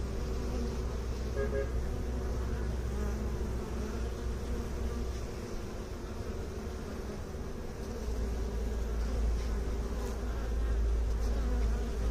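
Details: Bees, with beekeepers mentioned, making a dense, steady low buzz with a droning hum throughout, plus a deep low rumble underneath that grows stronger near the end.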